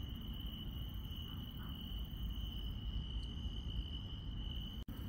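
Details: Countryside insects at night sustain a constant high-pitched trill with a few faint, soft higher notes, over a steady low rumble, and the sound cuts out briefly just before the end.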